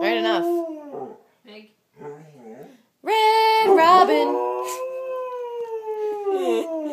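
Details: A Samoyed gives a long, drawn-out howl that swells and then slowly sags in pitch, after a short burst of human singing of the Red Robin restaurant jingle and a first brief howl; he howls whenever it is sung.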